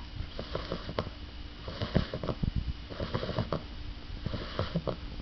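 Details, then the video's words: A sleeping, very tired female English Bulldog puppy snores with deep, irregular snuffling snorts. "English bulldog puppy snoring"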